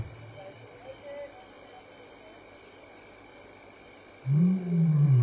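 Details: Evening roar of a wild lion passing Elephant Plains Game Lodge, South Africa, 26 May 2011, 6–7 PM, a contact call: a loud, deep, moaning roar rising then sagging begins suddenly near the end, with crickets trilling throughout.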